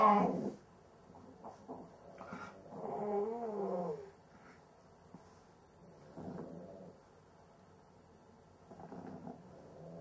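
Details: Cavalier King Charles Spaniel with difficulty breathing during sleep. There is a noisy snorting breath at the start, then a long wavering nasal tone, then softer raspy breaths that recur every few seconds against quiet background.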